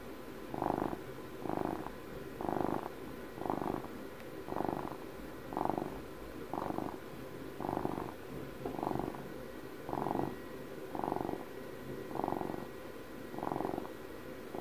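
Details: Intimate ASMR recording of an old house cat, twelve years of age, purring continuously; the throaty rattle pulses in even swells around once a second for the whole stretch.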